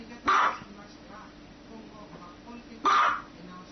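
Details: A dog gives two short, sharp barks about two and a half seconds apart, with quiet background hum in between.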